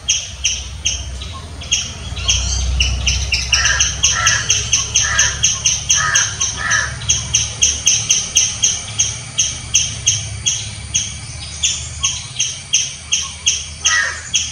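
A squirrel gives loud, harsh chirps in a rapid, steady series, several notes each second.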